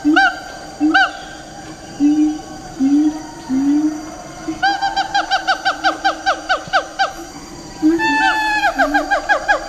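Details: Sumatran siamang giving loud, rising whoops that speed up into a rapid, ringing series of barking notes while leaping, a call audible from far away.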